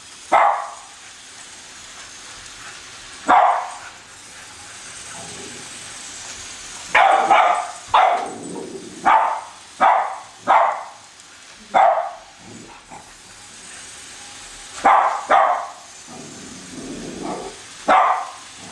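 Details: Chasing the new Christmas train around the tree, two Cavalier King Charles Spaniels named Colby and Shelby give scattered sharp barks, sparse at first and then a busier run of yaps midway, over a continuous background hiss.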